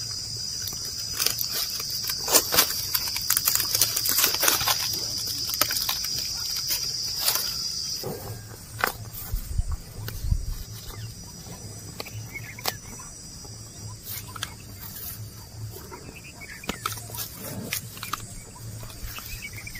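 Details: Oxen and cows eating grass while walking: repeated sharp crunching and tearing snaps, irregular but frequent, with a continuous shrill insect drone for the first eight seconds and occasional soft low thumps.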